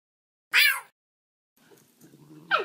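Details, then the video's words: Two Basenjis, Graham and Ginger, playing together on a couch indoors; a loud, brief, falling yelp-like cry opens, followed by quiet low rumbling and shuffling, then a second sharp descending cry at the end. "Basenjis playing on the couch"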